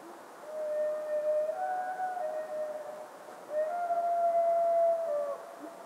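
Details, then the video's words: Red deer roaring: two long, high, whistle-like bugles with clear harmonics, each held for about two seconds and ending with a slight drop, over a steady background hiss. "Рёв европейского оленя и марала"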